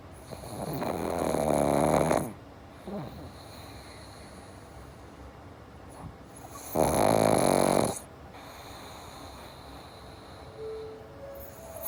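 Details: Two long, rasping snores from a sleeping pug (dogs Java and Morgan), each roughly one and a half seconds and spaced about five seconds apart, separated by soft breaths and snuffles; a steady high tone hums throughout.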